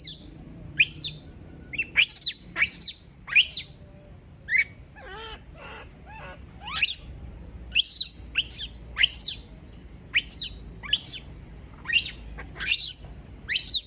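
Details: Female pet monkey screaming after being left alone: a long run of shrill, high, downward-sweeping shrieks in quick bursts, some doubled, with short pauses between.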